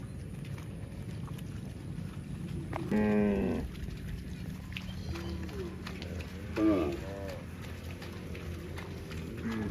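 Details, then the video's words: Cows running in the fields give two clear, rich harmonic moos a few seconds apart, each about half a second to a second long, with fainter calls between and a constant low thudding of hooves underneath. "COW SOUND - COWS FUNNY MOOING SOUNDS RUNNING IN THE FIELDS"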